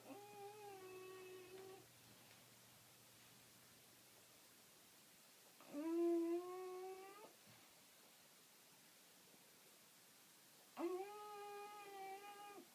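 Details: A sleeping female English Bulldog puppy makes nasal, whistling, hum-like snores, each about 1.5 seconds with steady, slightly wavering pitch, roughly every five seconds with her slow breathing; her snore is very distinct; English Bulldog.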